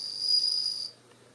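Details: Home-kept bell crickets in early September, autumn, about ten insects with one female: a brief high ringing trill lasting under a second before fading into quiet background.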